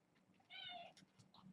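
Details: Foster kitten from a litter of six born August 29, indoors at bedtime: one short high-pitched meow with bright stacked overtones, about half a second long, over quiet room noise and faint rustling.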